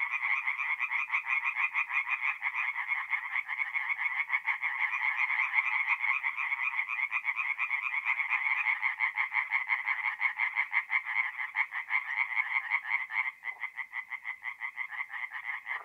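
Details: Nighttime chorus of singing tree frogs at a forest pond in north-east Italy in mid-April, a steady stream of fast, grating pulses from many frogs, thinning slightly near the end.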